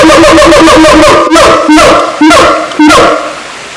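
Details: Siamang in Taman Kyai Langgeng park, Magelang, Indonesia, calling with a fast run of short, evenly spaced tonal barks that gives way to a few longer, louder notes about half a second apart, each ending in a rising inflection.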